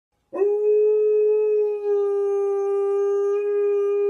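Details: A pet husky-malamute mix dog, singing to an ice cream van, gives one long, steady, mid-pitched howl that holds an even tone throughout.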